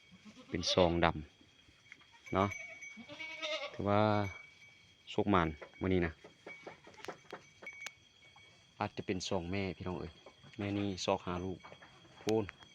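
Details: Newborn twin goat kids, born around the pen about an hour or an hour and a half earlier, near their mother: short, wavering, nasal bleats in scattered bursts, mixed with a man talking close by.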